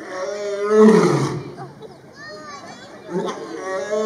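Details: Captive lion at Brookfield Zoo, Brookfield, Illinois, recorded October 16, 2022, giving one loud, harsh, moaning roar with a rough, falling tone, followed by quieter breathy grunts and low background murmur.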